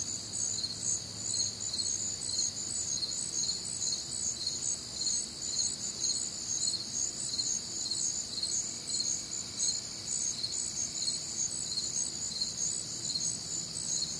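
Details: Crickets calling on a warm, humid Midwestern summer night: a dense high chorus of pulsed chirps in several overlapping voices, steady throughout, with faint low background hum and no other clear sounds.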